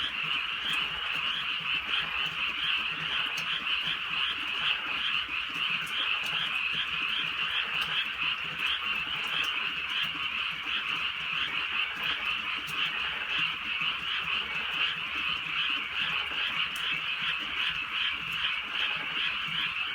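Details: Drizzly night in the countryside with a loud, steady frog chorus: countless overlapping trills form a thick high buzz, softer low croaks throb underneath, and isolated rain ticks punctuate it.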